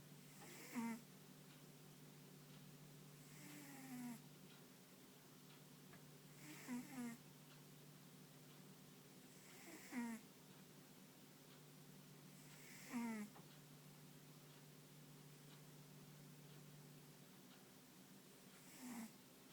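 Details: Sleeping deeply, the dog Ponta snores in a steady series of rough, rattling breaths roughly every three seconds, some doubled. A faint constant low hum runs underneath in the quiet indoor setting.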